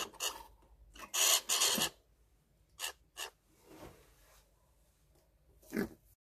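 A squirrel gives harsh, raspy chattering bursts, a loud double burst then short scratchy notes spaced about a second apart, ending with one more rasp.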